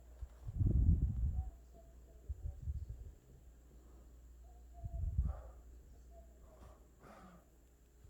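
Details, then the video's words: Boston Terrier puppy asleep and snoring: three low, rough rumbles spaced a couple of seconds apart, each under a second long, with soft breathy sounds between them. "Cute Puppy Snoring"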